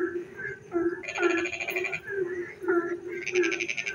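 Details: Frogs singing in the dark of a rainy night: a steady low droning trill runs throughout, overlaid by short upswept croaks and two long bursts of rapid, rattling high-pitched pulses.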